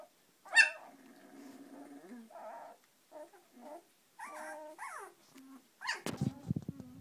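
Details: Eighteen-day-old Samoyed puppies finding their feet, giving wavering whines and squeaks in short bursts, one loud yelp near the start and a scuffling noise toward the end.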